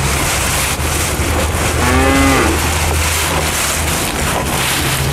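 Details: Bull cattle feeding on elephant grass lets out a single low, drawn-out moo with a rich buzzing tone, rising slightly and fading. Steady noisy rushing background throughout.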